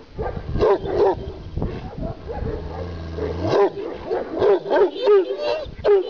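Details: Kangal shepherd dog from Sivas: deep hoarse barks in uneven bursts, about three a second at times, with a low rumbling growl between and a voice nearby.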